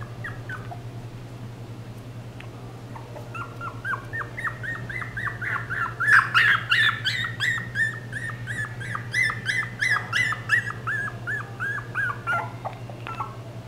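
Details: Papillon dog giving a long series of high, thin whines and yips, about three per second, rising and falling in pitch, over a steady low mechanical hum.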